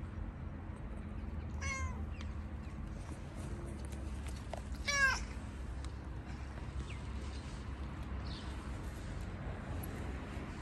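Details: Gray stray cat outdoors on a car in a city, wanting petting and attention: two short harmonic meows near 1.7 and 5 seconds, with a fainter one later, over steady low traffic rumble.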